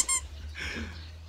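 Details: An Asian elephant, a bull at an elephant study centre in Thailand, lets out a short, high-pitched squeak with a bright, reedy tone, lasting barely a moment; afterwards only soft rustling and a low steady hum remain.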